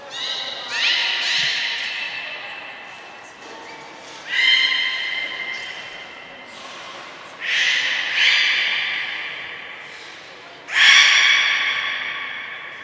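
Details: Belugas in a training session with the whole group taking part at Port of Nagoya Public Aquarium, indoors, 2 April 2023; four bursts of bright harmonic whistles, each rising sharply then held, spaced about three seconds apart, with hall echo.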